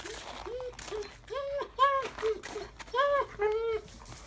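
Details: A 2-month-old Rottweiler puppy gives a series of short, arched whimpers and yelps, rising then falling.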